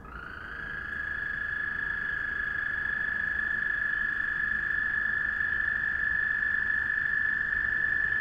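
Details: Frogs calling one another at night: a steady, unbroken high trill that swells in loudness over the first second and then holds level throughout, with no other clear sounds.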